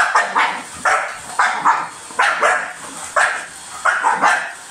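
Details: A dog attacking a vacuum cleaner gives rapid, harsh barks, often in quick pairs, roughly every half second to second throughout, with a constant machine drone underneath.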